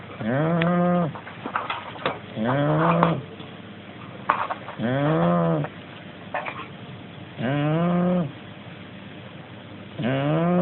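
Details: Sleeping Shar Pei–Corgi mix dog snoring: loud, throaty, harmonic snores in slow, fairly regular breaths about every two to three seconds, with quieter wheezy sounds between them.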